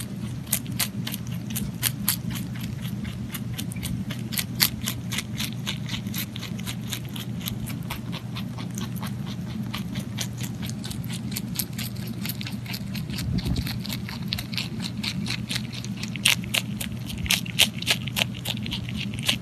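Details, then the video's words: Pet rabbit eating, steady rapid crunching clicks about three per second with a low constant hum underneath, crisp bites continuing throughout. "[咀嚼音] ASMR ぽんたんうさぎの色々な咀嚼音｜Eating sounds of Pontan Rabbit"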